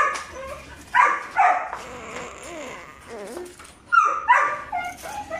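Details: Belgian Malinois puppies, five months old, named Juvs and Jeff: paired high yappy barks about a second apart, a soft wavering whine between them, then another sharp double bark near the end.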